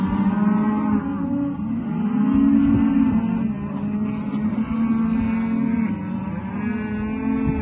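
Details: Rustic Angus, Brangus and Hereford calves calling together, several overlapping low, drawn-out bawling moos with rich harmonics, one voice rising over another in a steady, crowded chorus without pause.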